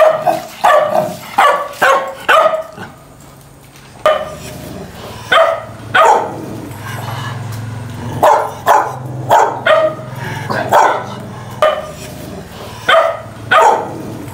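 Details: Dogs in a fight, barking loudly. Steady runs of sharp barks roughly every half second break off for a moment, then restart in uneven clusters over a low rumbling background.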